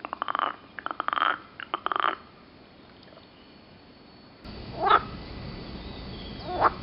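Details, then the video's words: Green frogs near Turku, Finland, give short bursts of rattling, pulsed croaks early on, then fall quiet. Two later rising, tonal calls stand out against a faint background hiss. "Croaking green frogs near Turku, Finland"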